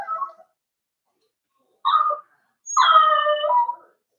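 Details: Cavalier King Charles Spaniel puppies, four weeks old, kept in a pen with mother Daisy: a short whine, a pause, then a second short whine and a longer, steady, tonal whine lasting over a second.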